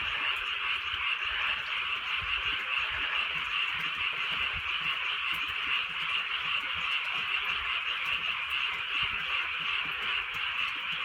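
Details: Frogs fill a wet countryside night with a steady, crowded chorus of quick rattling croaks that never pause, over the faint hush of falling drizzle.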